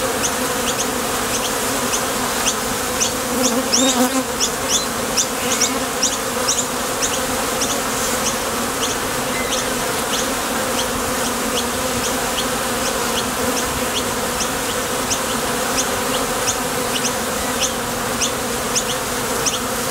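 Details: Many honey bees leaving and landing at the entrance of a top bar hive on nectar runs; an even, unbroken buzzing drone with rapid faint high ticks throughout and a brief louder swell near four seconds.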